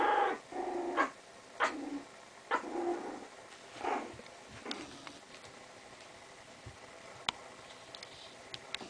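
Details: Playing Chinese Crested dogs produce several short, rough growls spaced about a second apart over the first five seconds, then fall quiet apart from faint scuffling and occasional clicks.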